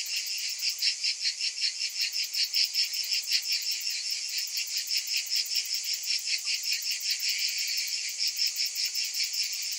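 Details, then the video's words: Cicadas on a hot summer afternoon fill the air with a dense, high, shimmering buzz, pulsing in rapid waves about two or three times per second without pause. "Cicadas in Summer"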